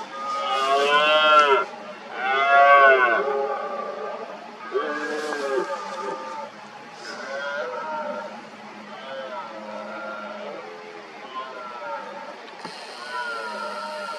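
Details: Red deer stags in the 2023 rut roar as smaller males gather to take on a dominant stag injured in both rear legs. Two powerful, moaning roars open the clip, followed by weaker, more distant answering roars.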